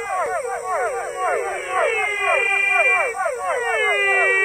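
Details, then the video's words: Rare frog species in a dense chorus of downward-swooping, harmonic, nasal notes, several animals overlapping in quick succession, about four calls a second, over a constant thin high-pitched hum. "Rare and beautiful frog species Amazing frog sound"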